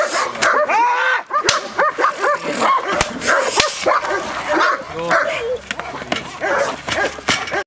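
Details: Giant Schnauzer barking in quick, irregular bursts of short, rising yelps and barks, with brief sharp clacks and a break near the second second.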